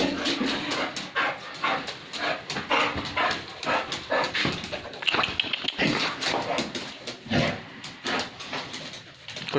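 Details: Pit bull dog barking and whimpering repeatedly in rapid, harsh bursts, with people talking nearby.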